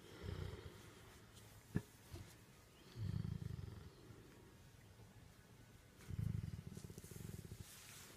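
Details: Great Dane therapy dog being petted, making a cat-like purring sound: low rumbling bursts of about a second, repeated roughly every three seconds, with a sharp click early on.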